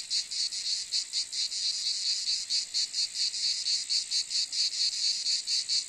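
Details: Pulsing cicada buzz, high and hissing, repeated in quick regular bursts of roughly four to five a second for the whole stretch, nothing else audible behind it.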